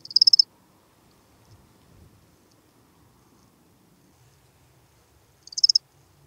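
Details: Lesser field-cricket at Breitenbrunn, Austria, 23 May 2021, giving two brief high chirps of several quick pulses each, about five seconds apart, with near silence between and a faint low rumble.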